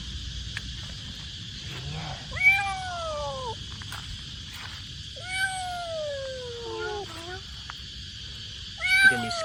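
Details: A scared, motherless stray kitten awaiting rescue gives loud, drawn-out meows that slide downward, repeated every few seconds over a steady hiss; a distress meow.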